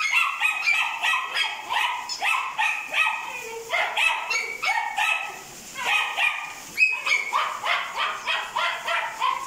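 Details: Black brindle female Kai Ken dog born on 1 July 2020, giving a steady stream of shrill, tonal yelps and whimpers, roughly three per second, rising and falling slightly, with a brief lull midway and one sharp click-like burst.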